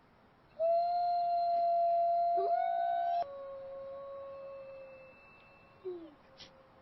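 Wolves howl in long, steady, mid-pitched tones that hold level before slowly sagging and fading.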